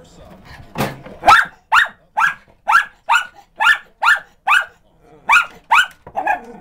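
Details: A Miniature Schnauzer indoors barks at a dog on TV in a fast, steady string of sharp, high yaps.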